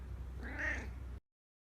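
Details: A domestic cat gives one short meow of about a second, a tonal rise and fall with clear harmonics, over a steady low hum before the sound cuts off abruptly.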